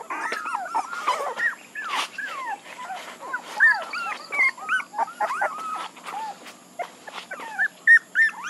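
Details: Several puppies whine together, thin rising-and-falling squeaks tumbling over one another without a steady rhythm, with occasional higher yelps and a faint background hiss.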